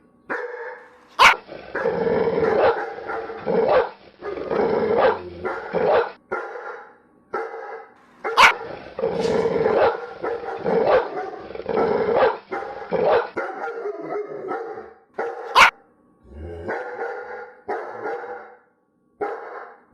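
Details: Dogs barking in dense overlapping bouts, broadband harsh barks with some growly stretches, clustered in bursts separated by brief pauses, sharp clicks or knocks at intervals.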